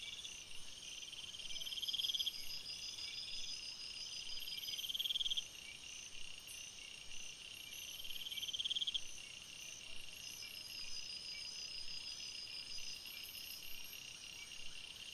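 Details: Crickets chirping in a forest at night: dense high trills in pulsed bursts about every three seconds over a steady shrill insect chorus, with higher whining tones layered above.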